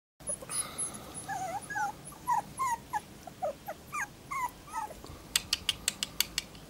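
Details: Tibetan Terrier puppies, 38 days old, whimper with short high squeaky rising and falling whines repeated about every half second, over steady background hiss, ending with a series of sharp clicking taps.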